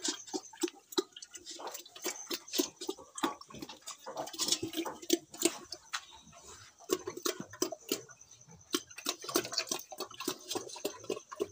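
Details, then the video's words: Feeding pig on a local farm in Assam, chewing busily: dense rapid crunches and smacks, sometimes several per second, with brief quiet gaps and a faint thin high whine in the background. "real pig eating sounds"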